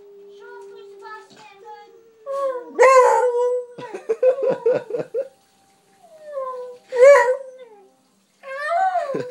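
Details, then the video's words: Buddy, a pet dog, barking at another dog he has seen: tonal, whining calls sliding up and down, then a few sharp barks in short bursts separated by pauses. "Buddy's Barking"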